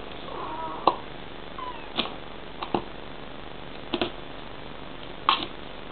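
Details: Female Bengal cat calling to her kitten with a couple of soft, bending chirrups early on, then quiet broken by occasional sharp knocks and taps.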